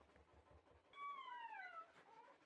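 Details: Brief drawn-out whine from a red male Shiba Inu puppy of show breeding: a single clear tone sliding slowly downward for about a second, then a softer fading tail, over a quiet indoor background.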